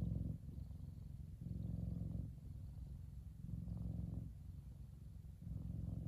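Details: F2 Savannah cat, a large male, enjoying the sun and purring: a low, buzzing rumble that swells and eases in alternating breath phases about every two seconds.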